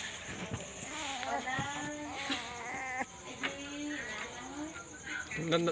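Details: Night-time play and quarrelling among puppies: drawn-out, bleating whines with wobbling pitch, some short yelps, and a louder squeal at the close, against a faint steady hiss.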